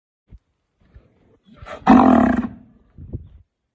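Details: A red American Brahman (bull or cow) gives one loud, rough, drawn-out bellow lasting about a second; Brahman cattle.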